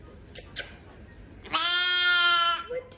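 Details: A goat, or possibly a sheep, gives one loud, steady, nasal bleat lasting about a second, after two brief soft clicks.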